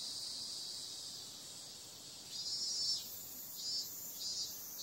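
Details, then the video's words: High, even cicada buzzing at night in summer, holding steady for two seconds before surging into a louder, pulsing stretch with a couple of brief swells near the end. "Cicada sound"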